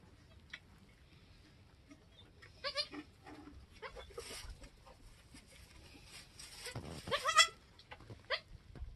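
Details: Newborn goat kids, a doeling and a buckling in their first hour or two, just born on a homestead: sparse, short, harmonic bleats, the loudest pair near the end, over faint background noise.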